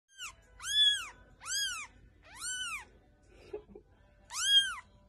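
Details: Young cat meowing four times, each a clear arched mew rising then falling, spaced under a second apart, with a soft thump between the third and fourth.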